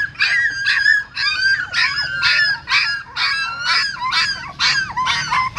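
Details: Newborn puppies being moved one by one in their mother's mouth from a stupa hole at a Siem Reap pagoda; shrill, wavering squeals come in a steady run of about ten bursts, with a low hum beneath.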